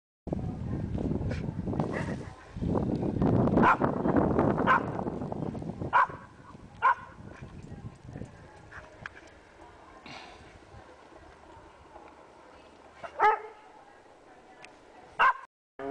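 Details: A female pet Pembroke Welsh Corgi playing frisbee during a January 20, 2011 snowstorm in Columbus, Indiana gives short, sharp barks at irregular intervals over a rush of wind noise.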